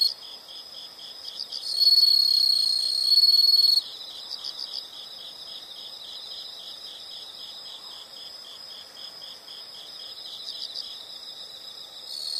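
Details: Nature sound of insects: a sustained high buzzing trill lasts about two seconds, then steady rapid pulsed chirping continues at lower volume for the remainder.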